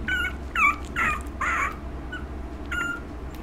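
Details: One-month-old female puppy, filmed on 17 August, giving a run of high, wavering whimpers and yips: five short tonal cries in the first two seconds, then a softer pause and one more whine. A low steady hum runs underneath.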